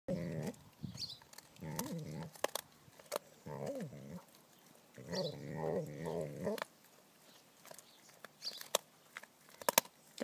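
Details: Vizsla dog singing along while crunching a bone: low wavering moans and whines with rising and falling pitch, interspersed with sharp crunching clicks, a person speaking at the end.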